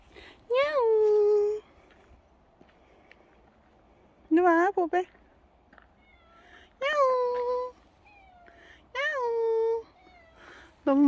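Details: Dog-like house cat calling repeatedly. Long swooping meows are broken up at one point by a quick stutter of three or four short chirping mews. Each meow rises, then settles into a steady drawn tone. The room is otherwise quiet.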